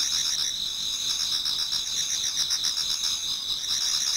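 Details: Brief stretch of many insects singing in a Japanese garden on an autumn night nearing dawn; high steady trills and fast repeated pulsed chirps blend into one continuous shimmering chorus.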